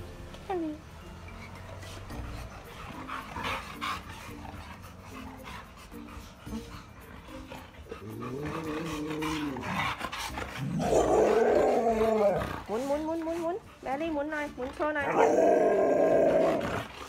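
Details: Plump pet Siberian Husky, described as very affectionate and attention-seeking, gives arching, rising-and-falling moaning whines in a yodel-like 'talking' series from midway, after a quieter start; a woman speaks Thai throughout.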